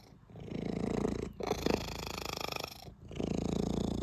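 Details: Contented, loud purring of a cat being stroked, a close, rough rumble pulsing rapidly, broken by two brief pauses for breath, indoors.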